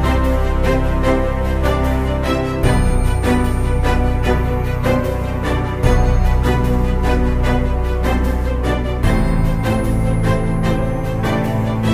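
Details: Loud background music with steady beats and layered instruments fills the whole stretch, and no animal sound is heard.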